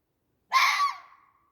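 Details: Fox. A fox lets out one short, hoarse scream, rough and breathy at the start. The cry then thins and tapers away into a brief drawn-out tail, with silence before and after.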